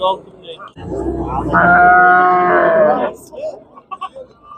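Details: Bull at a livestock market in Andijan, Uzbekistan, giving one long, drawn-out harmonic bellow that lasts about two seconds and holds steady before cutting off, with faint market noise and brief human sounds afterward.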